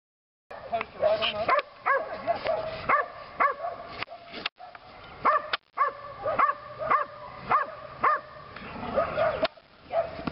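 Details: Lily, a female Belgian Malinois, barks during her second session of PSA bite training on leg sleeves. Her sharp, harmonic barks come in quick bursts of two or three, with brief pauses and a short silence partway through.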